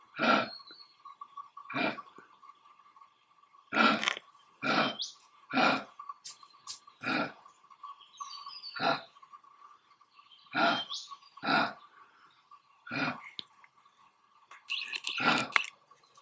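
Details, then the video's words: Male eastern grey kangaroo in Australia grunting while displaying dominance, standing on its toes and rubbing grass with its front paws; short, harsh, breathy grunts repeat about every one to two seconds, over a steady high hum and faint birdsong. "Australian Male Kangaroo Showing Dominance"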